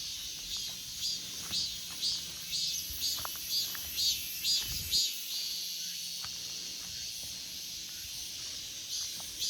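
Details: Cicada song in an August forest: high buzzy pulses repeated about twice a second over a steady background drone of other cicadas, with a brief low thump midway.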